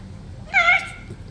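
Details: Tame red fox TYR playing indoors while its owner handles its ear and nose: a single loud, high, whining cry with strong harmonics, held for about a third of a second and then fading.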